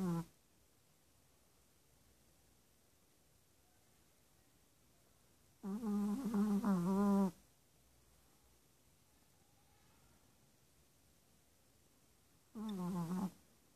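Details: Sleeping Chihuahua named Rico, six months old, two days after adoption from the ASPCA, snoring. Three low, buzzy, humming breaths come roughly six seconds apart, the middle one longest, with quiet room hush between them.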